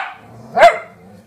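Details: Golden Retriever puppy giving a single short, sharp, high bark that breaks off quickly, after a quiet background with faint low murmur.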